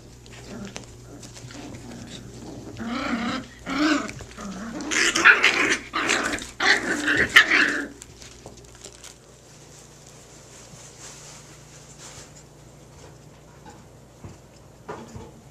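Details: Puppies at play, swinging between sleepy and full-speed: a dense cluster of rough growls and yelps from about three to eight seconds, then quieter scuffling over a steady low hum.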